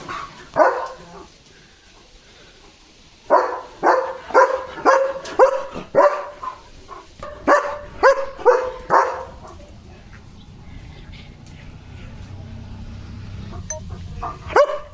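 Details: German Shepherd dog barking during stormy, windy weather with dark clouds and light rain on an evening walk: a long burst of loud, rapid barks roughly twice per second, pausing then resuming, with wind noise in the quieter stretch.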